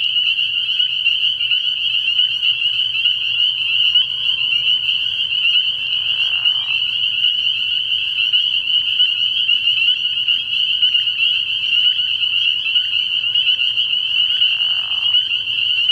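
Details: Dense night chorus of spring peepers at a frog pond early in the year: a continuous high, shrill wall of overlapping peeps holding steady throughout, with two brief lower buzzy bursts near the six- and fourteen-second marks.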